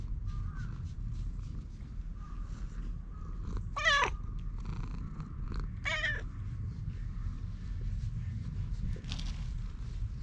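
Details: Stray cat filmed on a GoPro mewing twice about two seconds apart. Each call is short, loud and rising-then-falling with rich harmonics. A constant low hum and faint rustling sit beneath.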